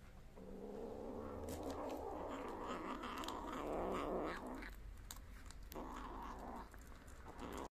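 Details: Kittens on the street eating prey that their mother cat brought and left for them; a low, rough, continuous growling rumble for about four seconds, then fainter broken growls, with small crunching clicks.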